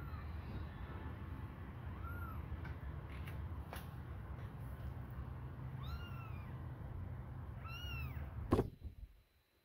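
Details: Kittens, hungry and suckling a finger, meow three times in high, bending arcs, spaced a few seconds apart. A sharp knock follows the last cry, then near silence.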